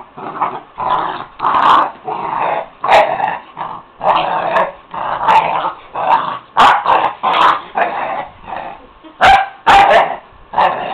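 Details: Puppy playing at night, giving a rapid string of rough growls and short yapping barks in bursts roughly every half second to second, with a few sharper yips standing out.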